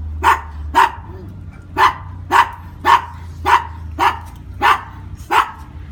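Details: Brussels Griffon in Veracruz barking steadily, about nine sharp high barks spaced roughly half a second to a second apart, with a low hum underneath.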